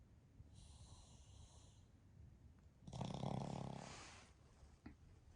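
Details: Pekingese x Shih Tzu mix dog snoring during a deep nap with its family; soft hissing breath first, then a low, rattling, pulsed snore around one second long, and a small snuffle.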